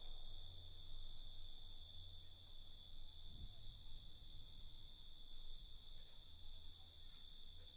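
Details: Crickets at night: a steady, shrill, unbroken trilling in several high layers, with no pauses. A heavy low rumble of background noise runs underneath throughout.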